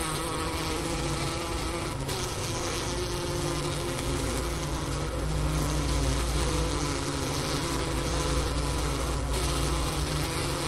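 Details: Honey bee colony wintering in its hive on the Wooster campus of Ohio State University, about 4 PM on January 16, 2024, at 15°F outside, recorded beside the inner-cover hole near a sugar brick. Steady low droning hum with layered tonal bands, evenly loud throughout.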